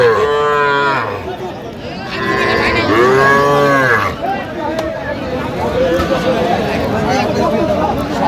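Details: Young Sahiwal calves, bull and heifer calves bought by farmers at a market in Madaripur, Bangladesh, on 13 January: two drawn-out, harmonic moos with a wavering pitch. Each lasts about one to two seconds, over a steady murmur of crowd voices.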